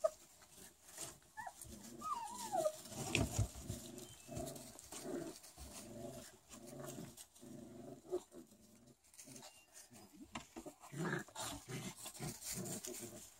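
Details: Four-week-old Rottweiler puppies give a steady run of short, harmonic whines and squeaks, repeated roughly twice a second for most of the recording, with faint rustling and shuffling.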